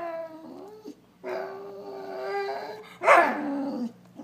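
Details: A dog whines to get attention, with long sustained whining tones broken by short pauses, then a louder strained cry that fades into a lower whimper.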